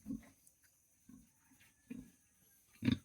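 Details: Domestic pigs, a sow with her piglets, in a pen on a small hog farm, just after feeding; short low grunts come about once a second, four in all, with a man talking nearby.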